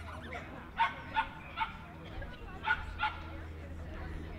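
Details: Jack Russell Terrier at the Jack Russell Terrier Club of NSW Speciality Show, Dogs NSW Showgrounds, Orchard Hills, 15 October 2015: five short, sharp yapping barks in two bursts over a steady indoor hum and murmur.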